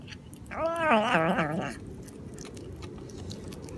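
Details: Cat making a strange sound indoors: a wavering, warbling yowl lasting just over a second, pitch wobbling up and down in quick undulations, then quiet room noise with faint clicks.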